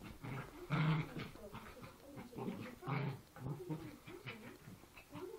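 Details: Poochon puppies play fighting, giving low rumbling growls in short bursts with irregular pauses, some louder snarling peaks and scuffling in between.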